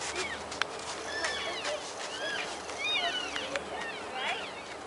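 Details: Wintering elk feeding at Oak Creek wildlife area in Washington make faint, scattered high chirps and curved squeaks from several animals, heard against steady hiss and outdoor noise.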